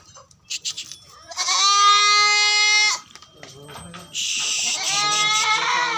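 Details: Barbari goats on a farm in Etawah, Uttar Pradesh: a long harmonic bleat held about a second and a half, then a wavering, quavering bleat later, with faint voices in the background.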